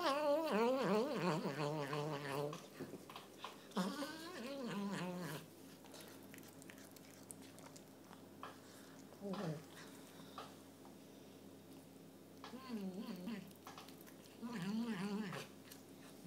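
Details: Indoor chocolate point Burmese cat with crossed eyes making strange noises whilst eating: rapid warbling, gargling cries at the start, then short wavering moans every few seconds between quieter stretches of chewing clicks and a faint hum.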